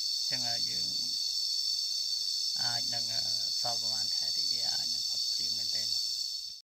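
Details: Droning cicada chorus, an unvarying high metallic buzz, recorded while resting and listening outdoors on a walk in Cambodia; a person speaks in several bursts over it before the sound cuts off abruptly near the end.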